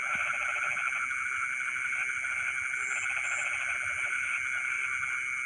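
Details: Rice fields at midnight with frogs singing: a rattling pulsed call opens the recording, then fades into a continuous droning chorus, with two brief high chirps partway through.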